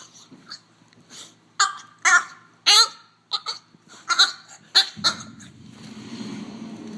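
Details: Odd, alien-like vocal noises from a French bulldog: a quick run of sharp, squeaky, harmonic yelps and grunts about half a second apart, ending in a stretch of breathy, rushing noise.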